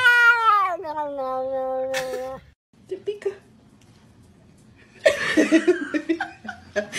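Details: Domestic cat in a humorous compilation gives a long, drawn-out yowl that starts high and slides down to a lower steady tone. Speech, music and laughter follow.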